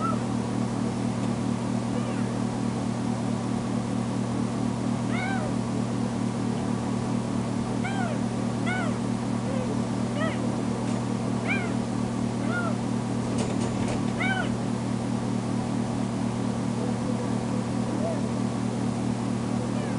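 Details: Tamera, a recently spayed female foster kitten, cries when her carer leaves the bedroom: a scattered series of bent, wavering meows in the middle stretch, quieter at the start and end, with a constant low droning hum throughout.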